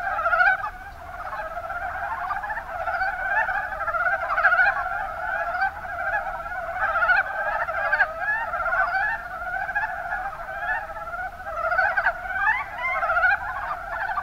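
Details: Kuma Basin, Kumamoto, Japan: a crowd of mountain brown frogs keeps up an unbroken chorus of fast, stuttering croaks, densely layered and fairly even in volume.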